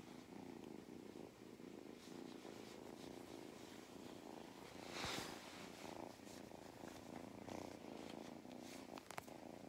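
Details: Mustard, a farm cat in County Kilkenny, Ireland, purring contentedly during a belly rub; low continuous rumble broken by a brief rustle midway and small clicks.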